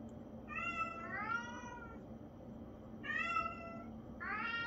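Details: Traditional Siamese cat meowing indoors: two pairs of drawn-out, harmonic-rich meows, each rising then falling, with the second call of each pair longer and slightly lower, separated by a short pause over a low background hum.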